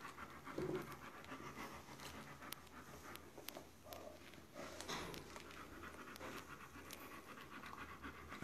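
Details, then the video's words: A Dobermann giving birth to her D litter pants softly: faint, quick, breathy huffs over a steady low room hiss, with scattered small clicks and rustles. "Dobermann D batını doğum anı"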